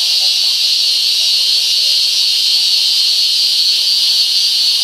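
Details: Taiwanese cicada singing: a loud, unbroken, shrill buzzing drone, steady in pitch and volume for the whole stretch, with no other clear sounds.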